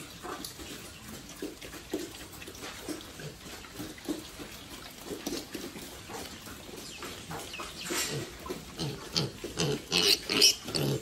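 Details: Domestic pigs on a family farm raised for sale, giving a run of short rough grunts, louder and squealing toward the end, with splashing water and people talking in Vietnamese nearby.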